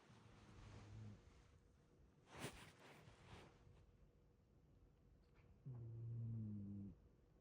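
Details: Shiba Inu dog with a blocked nose, snoring: two low, droning, buzzy snores about five seconds apart, each lasting roughly a second, with a brief rustle between them in a quiet room.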